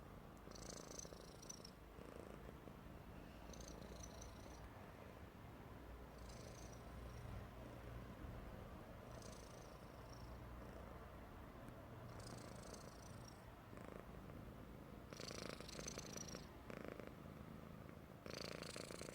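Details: A happy Persian cat snoring: a continuous low, rumbling drone throughout, broken roughly every three seconds by wheezy, whistling breaths.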